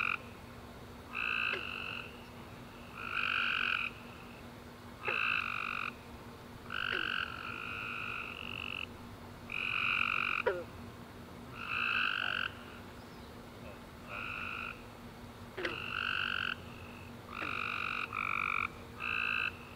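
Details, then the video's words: Tree frogs chorusing at night after a warm rainy summer day, recorded near home: many half-second pulsed, buzzy trills in two bands, overlapping and coming several times a second, over a steady low hum. "Tree Frog Chorus After A Warm Rainy Day - 10 Hours Tree Frogs Chirping You To Sleep"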